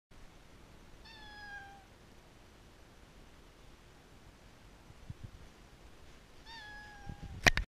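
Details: A domestic cat meowing twice, recorded on a GoPro: a falling meow near the start and a second shorter one about five seconds later, with a few soft knocks and a sharp click at the end in a quiet room.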